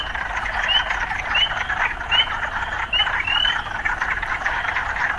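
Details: Frogs calling amid urban surroundings: a constant buzzing chorus with a series of short rising notes spaced about 0.7 seconds apart, the last one longer and drawn out.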